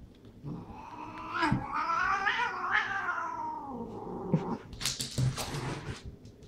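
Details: Domestic cats in a fight, one cat attacking another indoors; loud continuous wailing yowl that swells and bends in pitch for several seconds, ending in hissing and scuffling noise.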